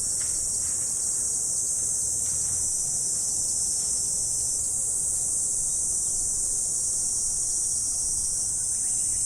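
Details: Insects on an autumn morning: a continuous, high-pitched shrill hum holds steady and unbroken throughout, with a faint low rumble underneath.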